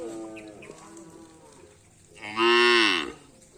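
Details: Racing bull from a karapan sapi team in Indonesia, in training at a field: a short loud bellowing moo rising then falling, preceded by softer lowing and a man's voice.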